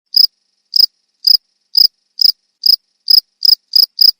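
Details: Cricket recorded for training songbirds: sharp, high, buzzy chirps repeated at slightly uneven intervals about every half second, ten in all, against near silence.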